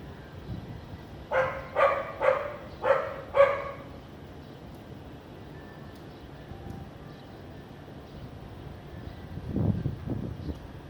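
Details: Barking of a house dog in Vientiane, Laos, on a sunny afternoon with little clouds, 15 April 2021: five sharp barks in quick succession about every half second, then quiet outdoor background with a low rumble near the end.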